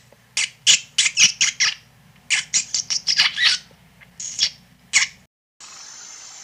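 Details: Shrill rat squeaks come in clustered runs of sharp, very high chirps, a dozen or so in quick succession, pausing, then resuming before fading into a steady faint hiss.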